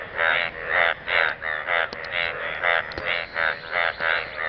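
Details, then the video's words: Several frogs in a pool of water give loud, raspy harmonic croaks in short bursts, roughly one per second, with an uneven rhythm and a couple of faint clicks in the background. "Frogs croaking sound in the pool of water"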